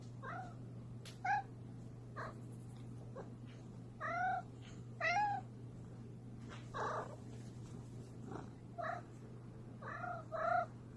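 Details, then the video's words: Domestic cat making repeated short, quiet mews and chirps every second or two over a steady low electrical hum, with some soft rustling between calls. "Cat Sounds"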